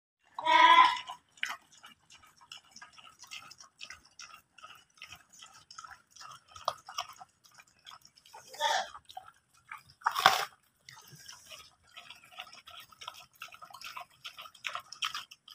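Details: Chinese pigs crunch and chomp on apples, with wet, crackly bites and an opening squeal.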